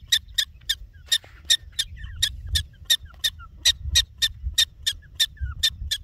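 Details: A prairie dog in the Badlands gives a rapid series of sharp, high chirps, several each second, over a soft low rumble.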